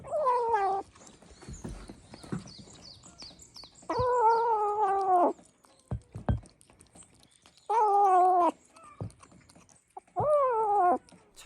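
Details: Rescued stray kitten eating canned food for the first time, making a strange sound: four drawn-out, wavering meow-like wails of about one second each, separated by chewing and clicking noises.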